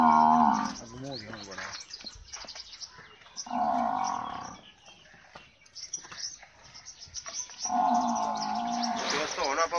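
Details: Nili-Ravi buffalo for sale in Pakistan, lowing three times in rich harmonic bellows of about one second each, spaced roughly three to four seconds apart, with quieter rustling between calls.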